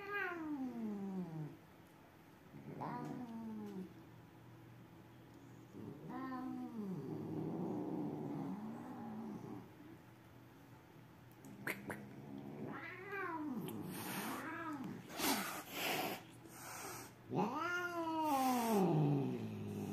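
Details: Hostile caterwauling between two cats that are not friends: repeated arching yowls, each rising then falling, about every two to three seconds, some long and moaning, growing louder and higher toward the end, over background hiss.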